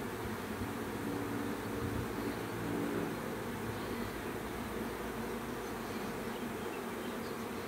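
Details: Swarming bees produce a steady, wide-band buzzing hum, with faint held tones in the first three seconds, then an even, unbroken drone.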